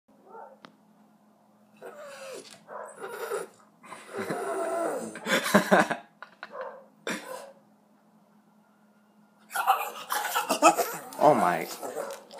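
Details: A Puggle (half Beagle, half Pug) that usually makes only Pug sounds gives a run of beagle-like yowls and bays, the first time the owner has heard this, with a person talking in between.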